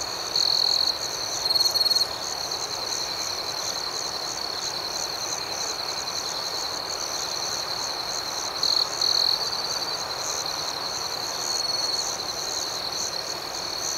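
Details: Crickets at night in a calm outdoor setting: a steady, shrill, high-pitched chirping drone runs throughout, with several louder, pulsing bursts near the start and again around the middle and end.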